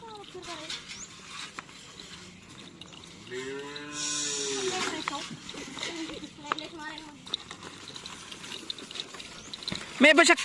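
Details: Karapan sapi practice with Madura cattle in Asemanis, Pamekasan, preparing for the Gagak Rimang team's anniversary. Midway, a drawn-out low moo rises and falls amid chatter, clatter and scattered human voices.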